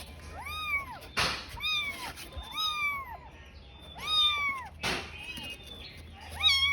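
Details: Tiny kitten alone and confused, calling desperately for its mother: clear, high arched meows that rise then fall, four cries in under seven seconds, separated by sharp thumps and soft rustling.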